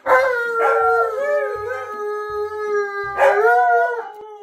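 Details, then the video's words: Tonka the Alaskan Malamute and Monroe the Husky howling together after being sung a good morning song: long sustained tonal howls, slightly wavering, with a second voice overlapping and rising near the end. "Malamute & Husky Howling"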